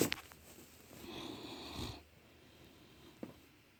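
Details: A male Great Dane, sound asleep, snores once, a breathy, rumbling intake that swells and fades over about a second; faint clicks sound before and after in an otherwise quiet room.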